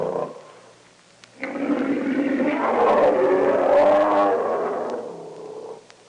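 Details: A grizzly bear (Ursus arctos horribilis) gives a deep, rough roar that swells and then fades away.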